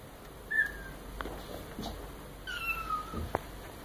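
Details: Maine Coon kitten, about four weeks old, with a red marbled coat and a solid red back, indoors in a new apartment while learning to use a litter tray. It gives two thin, high, drawn-out meows, and rustling and clicks are heard between them.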